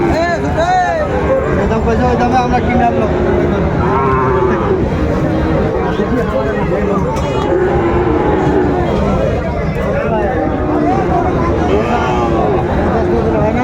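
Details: Sahiwal bull calves at the Raniganj livestock market in Dinajpur, recorded on 18 April 2024: repeated low, drawn-out moos rise and fall across the clip, over constant crowd chatter and bargaining voices.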